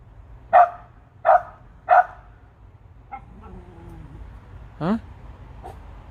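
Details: Jenny, a playful pet dog, barks up at birds perched high in trees: three sharp, loud barks about 0.7 seconds apart, then softer yips and a rising yelp near the end, with a person talking to her.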